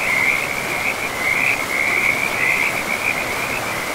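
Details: Frog chorus beside a river deep in a pristine forest, a nearly continuous mid-high trill that wavers and pulses throughout, laid over the constant hiss of running water.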